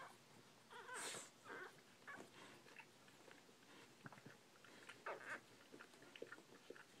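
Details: Several newborn Bull Pei puppies make brief, thin whimpering squeaks in irregular bursts, a louder cluster near the start and another toward the end, with faint shuffling and clicks in a small room.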